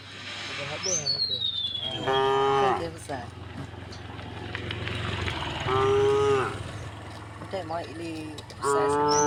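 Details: Calm tame cows crossing a wooden bridge on the way to green fields, three loud drawn-out moos roughly every three seconds, short lower grunts between them, and a high descending bird whistle early on.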